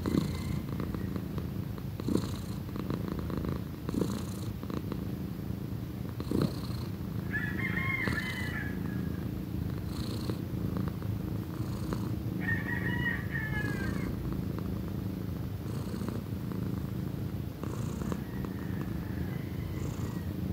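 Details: A steady, deep purr from Pequeña, a female cat almost one year old, keeps going for the whole stretch. Distant wavering higher calls come twice in the background, around a third and two thirds of the way through.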